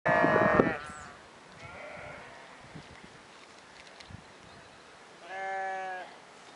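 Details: Sheep and lambs in a valley: a loud, wavering harmonic bleat opens, then a quiet stretch with faint distant bleating, and a second clear, steady bleat near the end.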